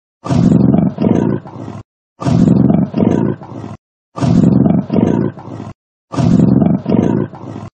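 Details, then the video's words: Four evenly spaced rounds of heavy, low, gravelly breathing from a beast of prey, each with two strong breaths and a softer last one, separated by clean silence. "맹수의 숨 소리, 맹수의 숨소리가 궁금할 때"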